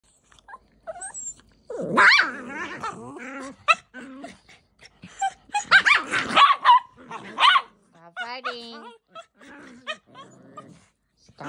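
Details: Playful fighting between puppies, a poodle and a maltese: sharp yapping barks and whiny growls come in bursts, with a woman's voice calling out between them indoors.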